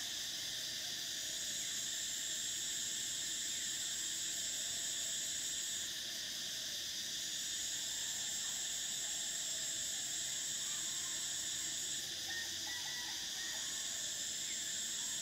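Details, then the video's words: Summer cicada chorus from Thailand, a dense unbroken high-pitched drone with layered whining tones, the top band cutting out briefly twice before resuming, over a low background hum. "Cicadas: the sound of summer"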